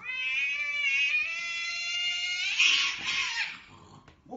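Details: Kitten giving one long, drawn-out meow that holds steady and rises slightly near its end. A harsher, breathy burst follows, then quiet.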